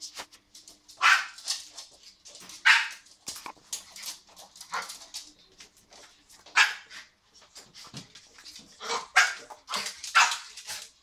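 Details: Young border terrier catching bubbles indoors: short, harsh, noisy barks and snapping bursts come in irregular clusters, with quiet snuffling and movement between them.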